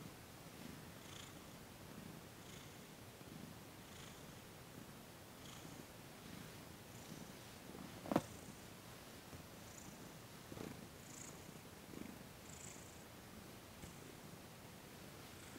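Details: Thomas, a cat receiving massage and Reiki on December 28, 2021, purrs in a low, rhythmic rumble that rises and falls with each breath, broken by one sharp click partway through.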